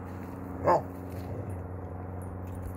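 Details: Basset Hound playing ball, giving a single short, sharp bark early on, followed by quiet room background with low steady hum.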